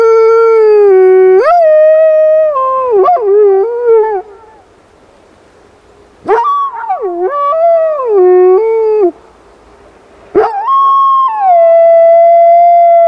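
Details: Howling from Rosco P Coltrane, a black wolfdog out in an urban blizzard: three separate howls with stepped pitch jumps and wavering breaks, quiet gaps between them.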